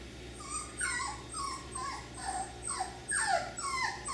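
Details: F1b Cockapoo puppies, three-quarters Miniature Poodle and one-quarter Cocker Spaniel, at Dyer Farms. A steady run of thin, falling whimpers and squeals, about two each second, over a low constant hum.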